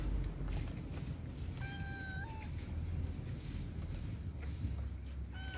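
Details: Homeless street cat meowing outdoors: two drawn-out, slightly wavering meows around the two-second mark, then the start of another at the end, over steady low rumbling background noise.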